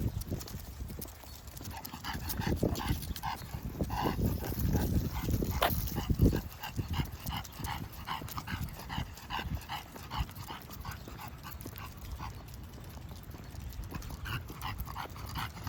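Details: Heavy, snorting breaths from an English bulldog on a walk come in a fast, uneven rhythm, with footsteps and scuffing outdoors. The breathing grows louder around the middle, then settles into steady panting.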